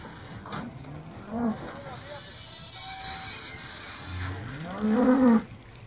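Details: Hereford cattle, eleven cows with calves, landing on Skarø, Denmark, on 13 April 2016 after a boat crossing from Tåsinge to graze there all summer; two drawn-out rising moos, the second louder, over people talking.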